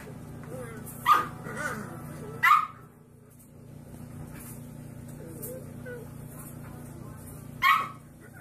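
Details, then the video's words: Puppy barking in short sharp yaps, three bursts spread over several seconds, with a steady low hum and faint speech in between. "Funny Puppies Barking Compilation"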